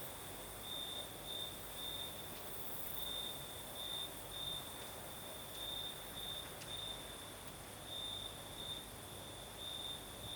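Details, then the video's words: Crickets singing at night in the south of Crimea with a night breeze: a steady high trill pulsing in short bursts roughly every half second, over soft broadband wind hiss. "Звук ночи. Юг. Крым. Сверчки поют. Ночной бриз."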